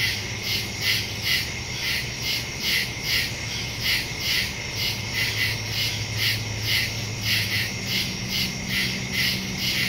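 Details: Crickets chirping after dark in the woods, September 2, 2023, phone with Shure MV88+ stereo microphone; bright, evenly pulsed trills repeat a little over twice per second, layered over a soft low rumble.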